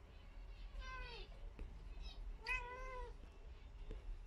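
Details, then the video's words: Told to leave, a domestic cat keeps meowing at the pet zebra finches: two long, clear meows about one and a half seconds apart, the second slightly longer, in a quiet indoor room. "Gata a comunicar com os mandarins"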